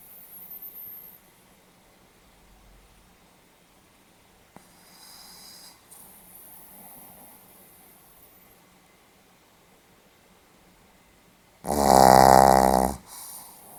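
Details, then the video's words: Pomeranian dog asleep indoors, dated 8 November 2015: mostly quiet room with faint breathing, then near the end one loud rattling snore lasting over a second, followed by a softer breath. "ポメラニアン 犬のいびき"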